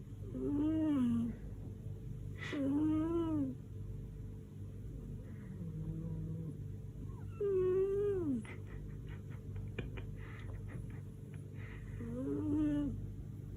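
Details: A female domestic cat snoring indoors, likened to a tractor, tired after a week away visiting. Drawn-out tonal, wavering snores with stacked harmonics, each about a second long, recurring every few seconds over a low steady hum.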